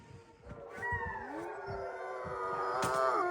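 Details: A wolfdog at Wolfdog Forest in snowy Hokkaido, Japan, starts a howl that slides upward, while other voices join with steady tones behind it; faint background noise.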